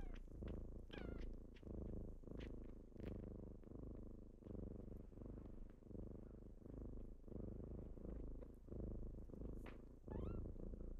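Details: Deep, rapid purring from kittens at wake-up time, breath pulses close together, with a few faint chirpy meows breaking in near the start and again at the end.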